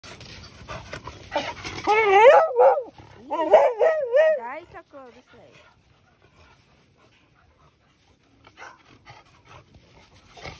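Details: One-year-old male Beagle at a dog breeder in Hamamatsu, Shizuoka, Japan. High, wavering whines and yelps in quick succession over about three seconds, then quiet with faint voices and background noise.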